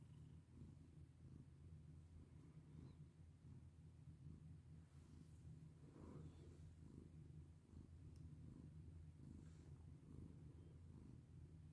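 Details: Steady, low purring from a house cat during petting, a deep vibrating drone that holds throughout, with light brushing sounds of fur being stroked and a soft rustle near the middle.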